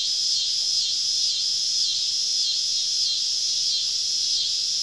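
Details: Cicadas all around a camp deep in southern woods on a summer evening, giving a dense, high, shimmering buzz. It holds steady throughout with a faint wavering pulse and no other clear sounds.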